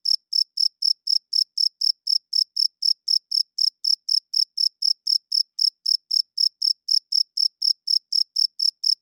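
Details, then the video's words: A cricket calling at night, its wing-rubbed chirps serving to attract females and defend territory. Sharp, high notes repeat in a steady metronome-like series, over three per second, with no other sounds. "Cricket Chirping Sounds - Cricket klinkt 's nachts luid"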